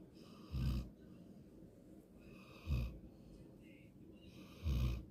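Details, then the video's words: Golden retriever asleep, giving three deep, raspy snores spaced roughly two seconds apart, low and throaty with quiet breathing between them. "강아지 코골이 옛날에는 더 심했음"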